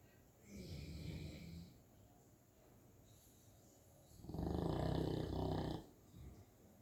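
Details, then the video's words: St. Bernard puppy asleep, snoring: two long, low, rasping breaths about three seconds apart, the second louder and broader, with quiet pauses between. "Snoring St. Bernard puppy"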